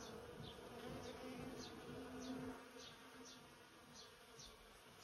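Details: About a hundred busy bees in a persimmon tree in bloom make a steady, low, droning hum that swells and fades as they fly close.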